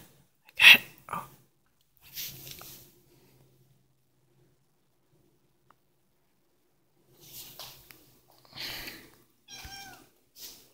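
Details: A pet cat gives a brief, rising-then-falling harmonic meow near the end, after scattered clicks, rustles and low handling noises in a quiet indoor space.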